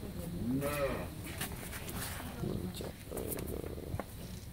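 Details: Friesian dairy cow that has just had her second calf and is kept with a heifer calf, giving 15–16 litres of milk. A brief, rising, harmonic moo lasts about half a second, followed by people talking and scattered thuds.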